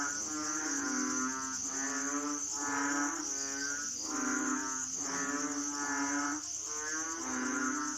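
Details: Asian frogs give nasal, harmonic croaks about once a second over a steady high insect drone.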